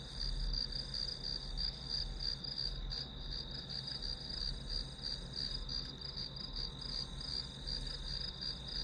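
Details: Study-session white noise of grass insects: rapid shrill chirps, close to three each second, layered on a sustained high trill, with a low electrical-sounding hum below.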